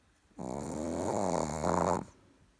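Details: Sleeping Chihuahua snoring indoors: a single drawn-out harmonic rasping breath lasting about one and a half seconds, rough and nasal with a slightly wavering pitch.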